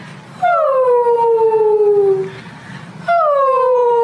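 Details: Female Siberian Husky howling while watching funny husky videos: two long mournful howls with rich harmonics, each starting high and sliding slowly downward, the first held about two seconds, the second cut short, separated by a brief quiet gap.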